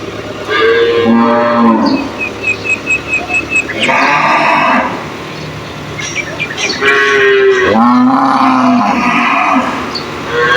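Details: Several cows in a cage answer each other with loud, overlapping moos, long harmonic calls that bend down in pitch, with a short series of faint high chirps between them.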